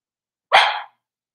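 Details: Single sharp, loud bark from a blenheim Cavalier King Charles Spaniel in an indoor puppy pen housing a New Year's litter of five, lasting under half a second, bright and harsh, with silence before and after.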